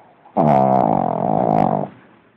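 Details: Sleeping pug named Lenon letting out a big snore, a single steady rasping, buzzy drone of about one and a half seconds, strong and even from start to finish, with only faint room quiet around it.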